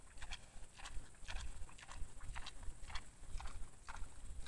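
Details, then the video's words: Wild boar in the wild at a feeding spot, filmed by a camera trap, eating greedily at supper: crisp crunching chews come as sharp clicks several times a second over steady low rumbling background noise. "КАБАН ПРИШЕЛ ПО УЖИНАТЬ )))АППЕТИТНО ЕСТ"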